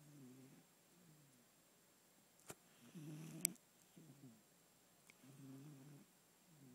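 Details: Sleeping house cat snoring in a small room, low rattling harmonic breaths repeated about every second or so, one swelling louder, with a couple of sharp clicks in between.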